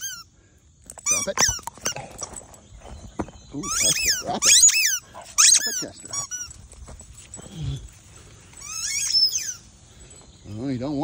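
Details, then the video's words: Boston Terrier named Chester playing outdoors in the morning with his football, which he is learning to chase. High, arching squeaks and whines come in bursts, with a lower rising whine at the end and a man's voice between them. "Boston Terrier Chester Plays With His Football"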